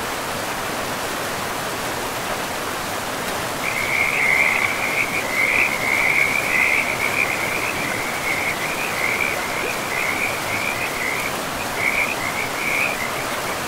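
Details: Frogs by a river in a pristine forest of trees and moss-covered land: a high, rapid pulsed trill begins after a few seconds and runs almost continuously, with a short break near the end, over steady rushing river water.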